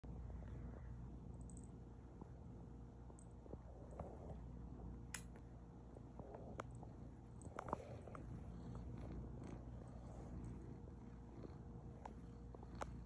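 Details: Domestic cat purring late at night while kneading ('biscuit making'), low steady rumbling purr running throughout, with scattered soft clicks and rustling close by in a quiet room.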